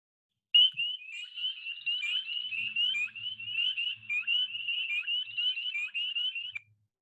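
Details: Spring peepers, very small frogs in Howard County, call in chorus with loud, high, piercing upslurred peeps that overlap and repeat rapidly for several seconds over a faint low hum.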